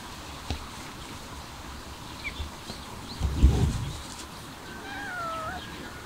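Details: Stray kitten being fed outdoors gives a single short, tonal meow that slides downward near the end, after low thumps and handling noises.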